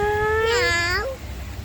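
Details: Pet cat meowing while a girl talks with it: one short, rising-then-falling meow over a steady musical tone, with Malayalam speech just before and after.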